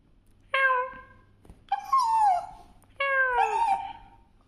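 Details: A pet dog making noise: three drawn-out whining calls about a second apart, each starting steady then bending downward, the later two wavering in pitch, with a low hum in the background.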